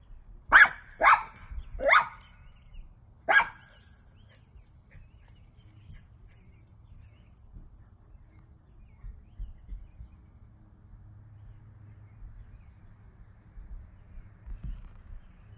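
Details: Small dog, a Toy Fox Terrier, barking after seeing a squirrel: four sharp, high barks in the first three and a half seconds, three in quick succession then one more, followed by quiet room noise with faint thumps.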